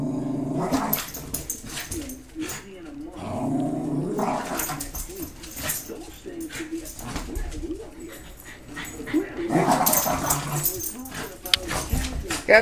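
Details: Cairn Terrier guarding its territory indoors, shaking a large mouse toy while watching passers-by; low, wavering growls run through most of the recording, with a person talking over it and brief louder bursts.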